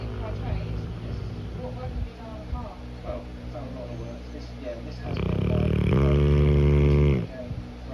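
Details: Napping Cane Corso gives a single long, rumbling snore of about two seconds with a fast fluttering rattle, after quieter stretches of soft breathing and faint background voices.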